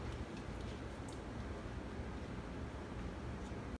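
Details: Dull low rumble and hiss like a distant engine or wind, with no puppy sounds.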